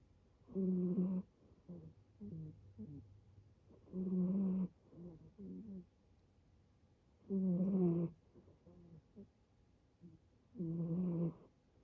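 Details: Rescued male brown tabby-and-white kitten snoring like an old man while asleep; loud harmonic snores about every 3.5 seconds, each lasting under a second, with softer rasping breaths between them.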